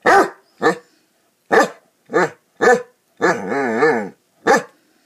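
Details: Playing Basset Hounds give seven loud, resonant barks, one drawn out into a wavering, howl-like bay lasting about a second.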